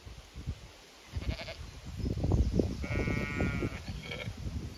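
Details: Zwartbles sheep on a regenerative farm in County Kilkenny, Ireland, anticipating a move to fresh pasture; one clear drawn-out bleat near the end with fainter bleats, over heavy low rumbling and trampling sounds.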